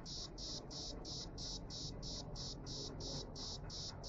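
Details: A cicada in Jerusalem sings in steady, high, buzzing pulses, about three each second, over low background rumble; recorded 6 March 2016.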